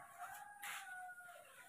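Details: Baby monkeys, Moni and Mino, excited at morning milk time: a sustained high whistled squeal, steady in pitch with a faint upper tone, lasting over a second and fading out, with a soft rustle underneath.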